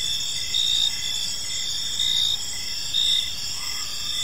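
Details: Crickets chirping in a park on an evening, a dense chorus of steady high-pitched trills with pulsed chirps repeating in short bursts, several overlapping insects layered over a low background hum.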